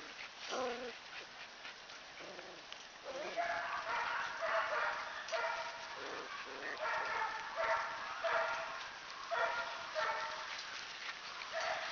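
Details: A dozen black-and-white parti-color Standard Poodle puppies, five males and seven females, romp outdoors in spring air before rain as their mother watches. Overlapping high yips and short barks come in irregular bursts, with a person's voice at times.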